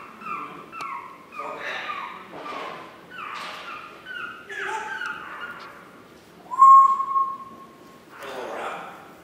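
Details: Chihuahua puppies recorded on 9 April 2016, giving a run of short, high, falling whines one after another, then a longer steady whine and a final rougher cry.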